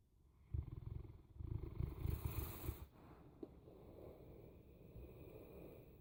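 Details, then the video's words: A Boerboel dog snoring: deep, rumbling low pulses in quick succession for about two and a half seconds, then fading to a quieter low murmur. "Snoring Boerboel"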